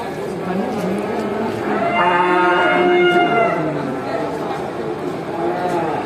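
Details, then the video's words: Herd of farm cattle calling each other as the farmer drives them back to the barn in the countryside; one strong, sustained harmonic moo in the middle over a background of many overlapping lower moos. "listen to the sound of cows calling each other"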